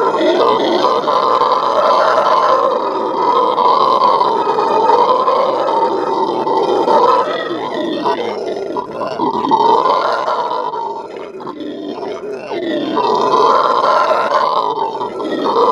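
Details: Venezuelan red howler monkeys' morning howl at a zoo: long waves of deep, raspy roaring that fade around eleven seconds and build back to full volume near the end.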